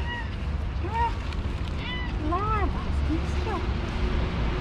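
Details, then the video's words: Black-striped cat, likely one of the strays fed in a neighbourhood of Istanbul, meowing and trilling for food and affection: a few clear, arched, rising-then-falling meows spaced about a second apart over a steady low engine-like hum and nearby human voices. "Cat with black stripes is meowing and trilling so cute"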